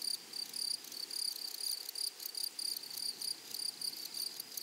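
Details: High, shrill insect chirping from grasshoppers in flowery meadows. Short buzzy pulses repeat steadily, roughly every half second, with a metallic ringing edge and low natural ambience underneath.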